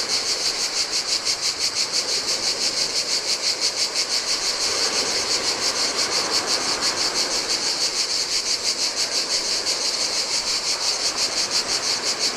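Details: Chorus of cicadas in the heat along the Adriatic shore of a Greek island beach: continuous piercing buzz with regular throbbing pulses, around three each second, layered over a low rushing of waves.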